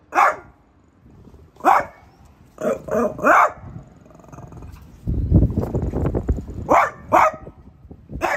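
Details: Barking at a new artichoke plant, a French Bulldog gives short, punchy barks in ones and twos. A stretch of low, rough, noisy rumbling and scuffling fills the middle before three more barks close the burst.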